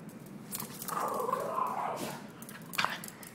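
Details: Pet dog named Cobalt racing hyperactively around the house after a bath; a drawn-out whining vocalization mid-range in pitch, swelling then fading, with scuffling and a sharp knock near the end.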